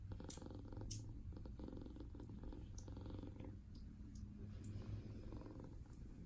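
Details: Silver natural mink and white RagaMuffin kitten purring indoors while being petted, a steady low rumbling drone pulsing continuously, with a few soft clicks and light handling noises above it.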